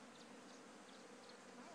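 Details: Honey bee swarm, come from one of a farm's hives, being moved on a fine day: a dense, steady low drone with faint overtones, continuous throughout the short stretch, with a soft broadband hiss.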